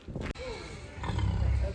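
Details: A pig in the piggery at the Wimpole Estate home farm, Cambridgeshire, during the festive season shortly before pig feeding, grunts noisily in low, rough, rumbling bursts, with a person's voice nearby.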